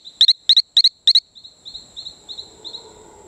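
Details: Talamanca rocket frog on Isla Colon near Playa Bluff, Bocas del Toro, Panama, giving four loud, high, sharp double chirps at about third-of-a-second spacing, followed by a fainter, slower run of softer high notes over a low background hum.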